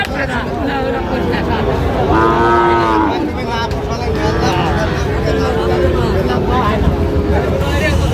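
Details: At a Chattogram cattle market in Bangladesh on 4 August 2025, a Sahiwal bull calf lows in a drawn-out moo, followed by softer, wavering calls, with a busy crowd and bargaining voices behind.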